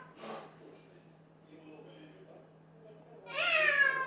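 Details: Cat singing one clear, falling meow at the very end after a brief noisy burst and a few seconds of near quiet, over a steady background hum.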